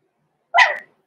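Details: Six-week-old blenheim Cavalier King Charles Spaniel puppy, one of the pair Roman and Blue, born November 14, 2022, in an indoor puppy pen: a single short, high, yipping bark that rises and then trails off, against silence.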